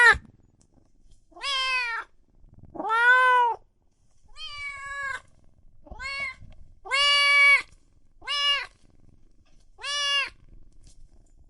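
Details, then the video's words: Loud meowing from cats and kittens: around eight meows, some short and chirpy, others fuller and falling, spread over several seconds. Light background rustling and faint thuds are heard. "Sounds of Cat Meowing and Kitten Meowing |Baby Cats Meowing |Cats Meowing Loudly"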